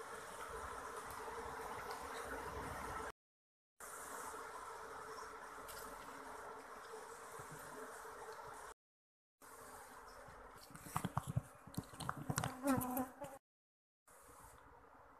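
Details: Asian honey bee (Apis cerana) colony being moved from a hollow log, combs already removed while the queen stays hidden in crevices of the wood; a steady, dense buzzing hum with short breaks, then clattering knocks and scraping near the end.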